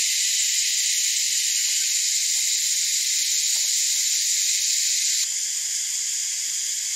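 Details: Cicadas drone in a dense, deafening, continuous high-pitched chorus that never breaks, easing slightly near the end, on a hot summer day in the Australian bush by a lake among gum trees after recent summer rain.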